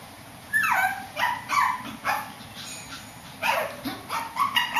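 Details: Upstairs, a Shih Tzu lets out bursts of shrill, yappy barks with downward-sliding pitch. They come in two clusters separated by a short lull, over a low background hiss.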